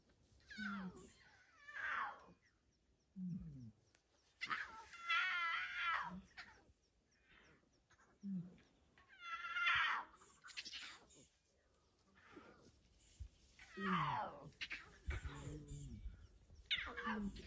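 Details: Lions of the Windmill pride, a group with eight cubs, recorded 20 February 2024: harsh, harmonic-rich vocal bursts of one to two seconds, some rough and rasping, others falling in pitch, recurring irregularly with quiet gaps between.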